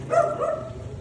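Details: Belgian Malinois from the pair Luna and Dax, hyper after just being let out of its cage; a short, tonal, harmonic whine that swells then fades within a second, over low background rumble.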